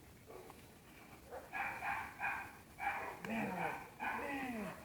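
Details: Black German Shepherd in guard training, barking on command in a string of short, harsh barks about every half second, with a person's voice talking and praising between and over the barks.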